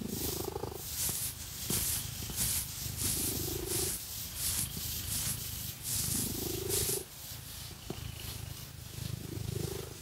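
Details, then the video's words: Domestic cat purring as it is scratched with fake nails, a low continuous rumble rising in breathy swells every few seconds, largely covered by crisp repeated scratching strokes. "Scratchy Cat Massage | 🐈 Lots of Purring"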